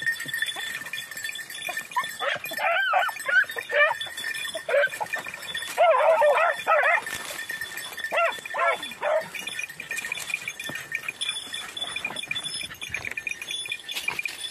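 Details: Red-blue tick and lemon-white beagles working hare in practice on Crete, Greece, 2021: a run of rapid, overlapping yelping bays, loudest in the middle, thinning to scattered cries, over a constant high background whine.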